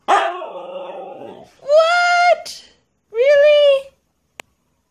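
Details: A Siberian Husky hearing its owner beatbox for the first time gives drawn-out, wavering howls after the beatboxing, each howl held about a second, apparently in disapproval.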